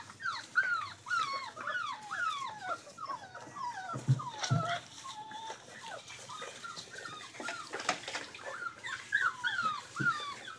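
Rottweiler puppies whimper and whine in overlapping, high, falling squeals.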